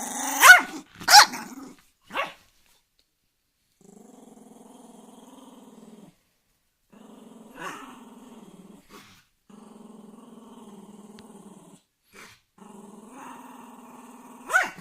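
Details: Angry dog opening with a few loud sharp barks, then long stretches of low steady pulsed growling broken by brief pauses and a soft bark, ending in another sharp bark.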